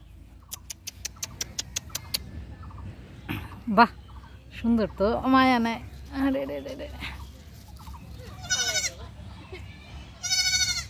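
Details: Goat said to talk like a human gives wavering, voice-like bleats in short bursts mid-clip and again near the end, mixed with music and people talking.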